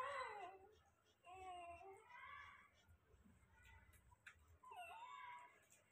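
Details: Newly born Rottweiler puppies give quiet, high, wavering whines in three short bursts, separated by pauses with faint background rustling indoors.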